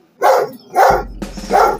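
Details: A dog barks at a video of himself barking on the television, which he often does at things on TV: three loud, sharp barks in quick succession, each about a third of a second long.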